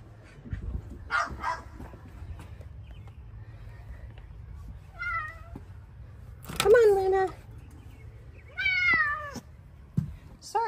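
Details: Bengal cat, female, in a garden while a woman calls her inside, gives a few short descending meows spaced several seconds apart, amid the woman's calling and light background hum.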